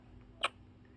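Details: Orphaned bat pup named Wiggly, in rehabilitation with a wildlife carer before release to the wild, hiccupping: one sharp, very short click stands out against a faint low hum.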